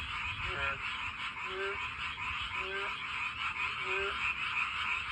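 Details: Mate-seeking frogs heard from a walking path; brief upward-sliding croaks with harmonic bands come roughly each second, while a steady, shimmering background chorus of many frogs fills the higher range.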